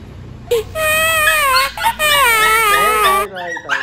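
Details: Shih Tzu named Lucky during its second vaccination and medical treatment, giving a loud, sustained, wavering high-pitched cry lasting about three seconds, with a short break midway and a sliding pitch that dips and rises before breaking off.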